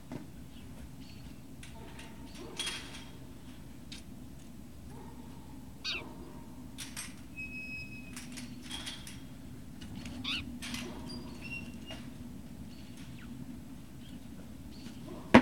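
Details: Great Dane puppies on 18 November 2018 giving thin, high whines and squeaky cries, some held briefly and some rising, scattered across a steady low hum with soft rustles and knocks.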